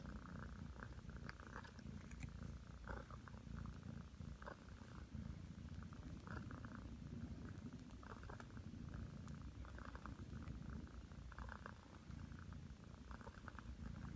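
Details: Aki, a nine-month-old Ragdoll cat, purrs while kneading on the bed, waiting for her person to lie down. A steady low rumbling purr runs throughout, with soft bursts of rustling layered over it.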